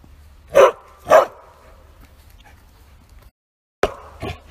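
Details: ['Out on a walk, a Bearded Collie gives two hard, loud barks about half a second apart, pauses nearly three seconds, then lets out two more quicker, slightly weaker barks; low hum underneath.']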